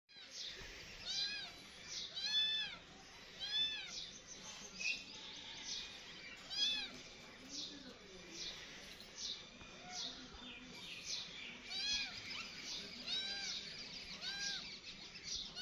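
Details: Cat. Kittens mew over and over in high, thin voices, each cry rising and falling in a quick arch. Several callers overlap, so the meows come roughly every second with little pause between them.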